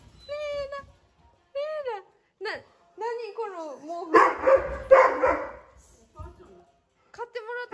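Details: Doberman Reira, a pet dog with lung cancer, October 2020 in Japan, gives drawn-out whining cries that slide up and down, broken by short pauses, with a rougher burst of louder vocalising midway.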